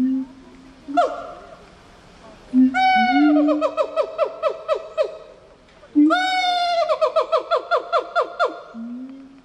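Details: Gibbon calling in two loud bouts: each opens with a clear hoot that rises, then breaks into a fast series of sharp, descending whoops, the notes quickening, with quiet gaps between the bouts.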